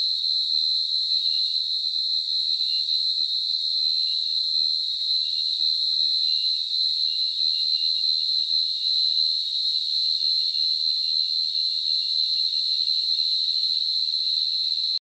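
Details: A field cricket in the Nilgiris, India, gives a continuous, piercing high-pitched trill, so rapid its pulses blur into one ringing tone, with faint low rumbling pulses underneath.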